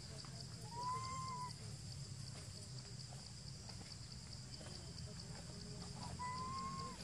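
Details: Baby monkey named Jinx crying, perhaps from hunger: two clear, whistled, slightly arched cries, the first near one second long and the second shorter, about five seconds apart, over a steady high hiss and low rumble.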